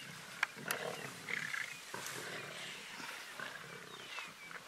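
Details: Lions of a wild pride tearing at a zebra carcass in Greater Kruger National Park, dry season 2018: brief harsh snarls and rough bursts near the start, then lower rasping growls over faint outdoor background.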